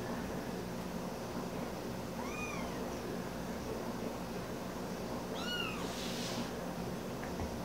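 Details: Ollie, a hand-raised kitten found in a park at about two weeks old, indoors tussling with a squeaker plush toy twice his size; two short, high, arching meows roughly three seconds apart over a steady background hiss.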